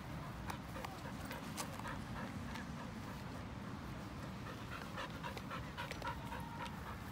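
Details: Pasepon, an elderly white Samoyed, on a lawn: quick breathy pants, roughly three or four a second, form an uneven steady rhythm over a constant low background rumble.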